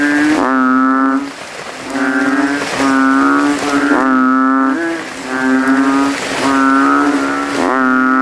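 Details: Night chorus of banded bullfrogs after rain in a cemetery puddle, males inflating vocal sacs to outcall rivals; low, rich, bleating notes around a second long follow each other closely with overlapping neighbours.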